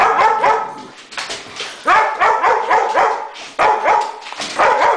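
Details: Thor the Great Dane barks at a remote control helicopter: rapid, closely packed deep barks in several dense bursts with brief dips between them.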